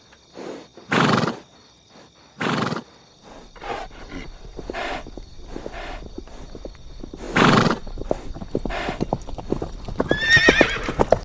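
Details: Horse heard in three loud, breathy blasts early on and again mid-clip, with a steady clatter of hoof clip-clops throughout and a brief, high, quavering whinny rising at the very end.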